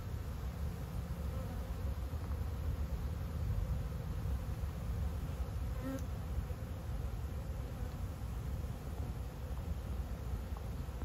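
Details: A dense, steady low hum of many honey bees from ten busy hives bringing in nectar, with one bee droning close by.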